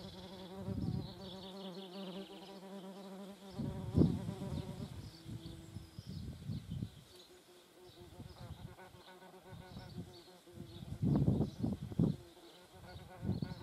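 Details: Buzzing of German wasps at a feeding place: a low droning hum in the opening seconds, then fainter buzzing broken by repeated dull thumps and knocks.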